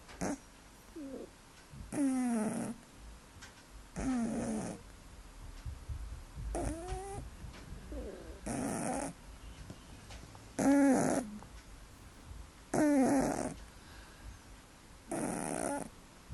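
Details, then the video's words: A pet cat named Bimba sleeping and snoring: loud, rasping breath bursts recur about every two seconds, several carrying a whiny, tonal rising pitch, with quieter soft breathing between them. "Бимба спит и храпит"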